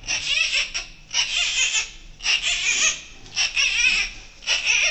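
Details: Newborn giant panda cub, born Friday evening 12 July 2024 to mother Wu Wen at Ouwehands Dierenpark, in the birthing den: shrill, harsh squealing bursts about once a second, each broken into rapid pulses, in a small indoor room.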